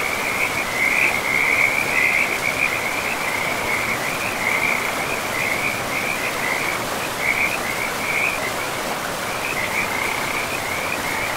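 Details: Forest river frogs keep up a dense, rattling trill in repeated bursts, nearly unbroken for most of the stretch, above the steady hiss of running water.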